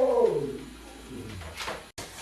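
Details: Pet Siberian Husky answering back indoors with a brief descending whine that slides downward and fades into a low murmur, followed by faint rustling.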